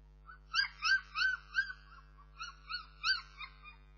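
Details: Bernese Mountain Dog puppies whining in a steady series of high, tonal, rising-and-falling whimpers, about three per second, with rich overtones and short gaps between bursts; a faint low hum sits underneath.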